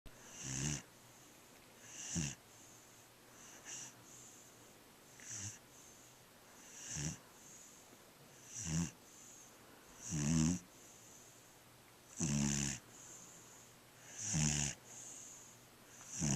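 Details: Sleeping little black dog snoring steadily, a rasping breath roughly every two seconds, some louder than others, with a faint steady high-pitched whine in the background.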